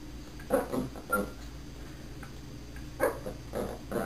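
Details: Puppy trained to speak on command gives short, sharp barks: a cluster near the start and another about two and a half seconds later, with a brief thin whine between them over a low constant hum.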